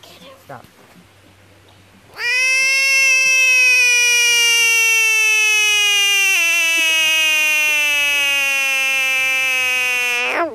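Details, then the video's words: A frog screaming in defense, puffing itself up bigger: after two quiet seconds a sudden sustained harmonic wail lasting about eight seconds, gradually sinking in pitch with a small step midway, cutting off abruptly. "Amazing Screaming frog"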